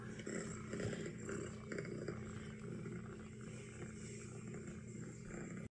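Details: Nacho, an orange tabby kitten, reacting to a recording of himself purring, gives a soft continuous low rumbling purr that pulses steadily throughout, with faint room noise behind.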